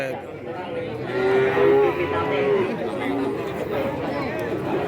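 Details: Cattle at a livestock market in Kajen, Pekalongan, Central Java, held every Wednesday; one drawn-out, slightly wavering moo in the middle, over steady crowd chatter and voices of people.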